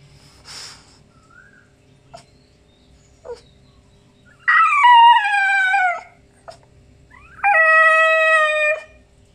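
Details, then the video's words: Morning grumbling from Pao Pao, a French Bulldog, voiced as two long drawn-out howls, the first sliding downward, the second held level, each around a second and a half, with faint scattered sounds between. "French Bulldog หมาขี้บ่น"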